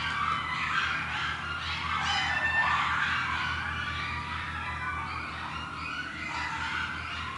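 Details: In Stanley Park, coyote pups give a tangled chorus of high, wavering yips and whines over a low background hum.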